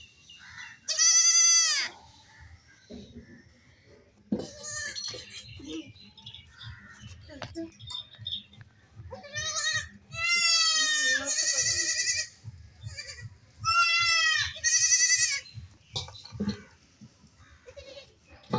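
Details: Young goats playing and jumping give high, wavering bleats in short bursts, separated by quieter shuffling and background noise; one goat, alone without its mother, cries.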